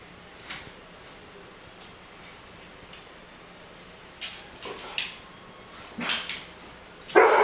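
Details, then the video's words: A male German Shorthaired Pointer barks at his food because it is too hot, giving a few short, scattered barks and yips that end on one louder bark. "German Shorthaired Pointer Barks at Hot Food"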